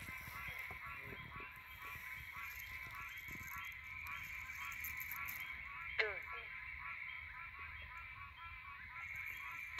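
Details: Threatened Pine Barrens treefrogs call at night in the pines, nasal, honking quonks repeated over a steady insect drone.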